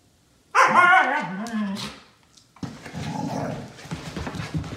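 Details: Siberian Husky, one of two pet huskies during a late-night burst of zoomies before bedtime: a loud, wavering, harmonic yowl lasting about a second and a half, bending up and down before fading, followed by scuffling and running noise.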